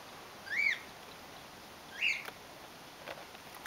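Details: High arched squeaks from little red flying-foxes in care: baby Reka and her mother, injured on a barbed wire fence. Two separate sharp chirping calls about a second and a half apart, then faint clicks.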